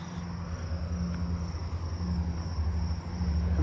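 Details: Columbian trig (Cyrtoxipha columbiana) singing from a tree in a backyard neighbourhood on 7/29, a steady, thin, high-pitched trill over low traffic rumble.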